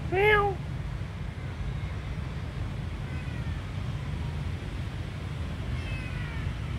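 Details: One brief, sharp mew from a tiny kitten that seems to need help opens the recording, then faint, thin cries trail off against a continuous low hum.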